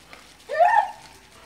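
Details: Single brief Vizsla whine, a Hungarian pointing dog's tonal cry that rises then slowly falls over about half a second, in a quiet indoor setting.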